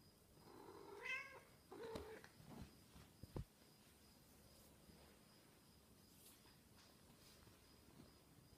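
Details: Snowshoe cat missing its owner, giving two short harmonic meows in the first two seconds, the first wavering and drawn out, the second briefly dipping, followed by a few soft knocks and clicks in a quiet indoor space.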